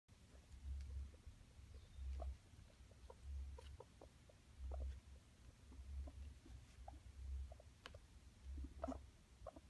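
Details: Pet guinea pig male courting two females, giving low, deep rumbling pulses about once every second, with scattered soft clicks and rustles indoors.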